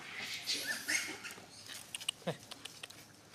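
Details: A baby monkey, after falling down, gives thin, high squeaks and whimpers, calling its mother for help.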